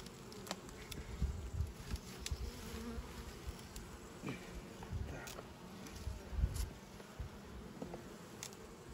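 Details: Western honey bees buzzing at an open hive as a queen breeder lifts frames to find drones for instrumental insemination of queens; low steady hum with handling knocks and clicks.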